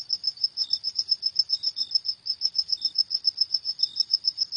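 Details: Cricket chirps after dark, fast shrill pulses following one another about four a second, with brief softer lower tones between them and a clean, quiet background.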